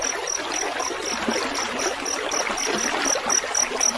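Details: Gurgling stream water dominates while a field cricket (jangkrik sawah) keeps up thin, high chirps at a brisk, regular pace throughout; offered as mastering audio for songbirds.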